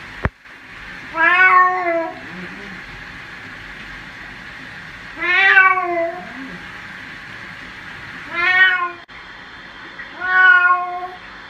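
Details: Domestic cat meowing while being bathed, handled with care: four loud harmonic meows spaced about three to four seconds apart, each rising then falling, with quiet room background between calls.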